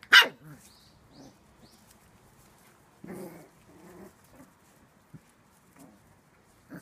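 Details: Shiba Inu puppies, a litter of four siblings including black-and-tan tricolour and pure white pups, bred at a kennel: one sharp, loud bark, then soft scattered yips and whimpers in a quiet room.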